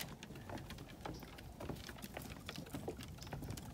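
Steady patter of rain or dripping with low rumbling background noise; no animal sound is heard.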